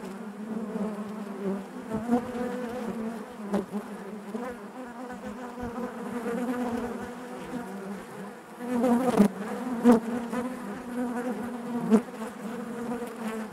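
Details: Honey bees buzzing inside their hive: a dense, steady drone with a strong low hum and stacked overtones, rising and falling in loudness, with brief louder swells as individual bees pass close.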